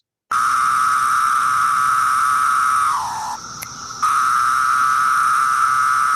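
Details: A male periodical cicada of Brood X in the eastern U.S. sings its courtship song to a female: a steady, high, buzzing drone that briefly sags lower before resuming.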